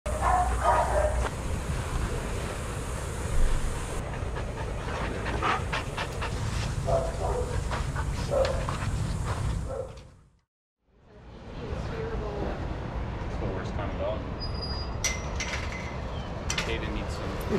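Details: Adoptable shelter dogs playing and running together at a daycare, with scattered short barks and heavy panting over steady low background rumble, a sudden silent gap midway, then more distant barking and activity.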